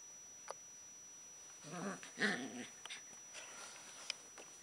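Alaskan Malamute puppies give short whiny, grumbling vocalizations with a few soft clicks and knocks.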